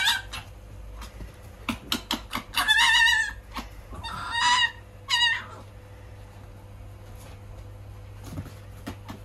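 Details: Little wild fox on its first day in a cage: two bursts of high, wavering, harmonic whines with a shaky vibrato, one lasting about a second, then a shorter pair, over steady low hum and handling clicks.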